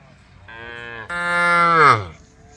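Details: A group of female cows on the road calling to the herd; one cow gives a two-part moo, a softer opening note breaking into a louder, rich bellow that slides downward as it fades.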